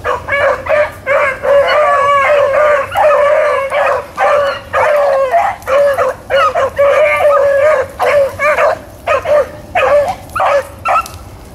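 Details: Pack of hounds on a rabbit chase, April 4, 2013, giving loud continuous bawling bays. Voices overlap in quick bursts, some notes bending upward into short howls, with brief gaps between volleys.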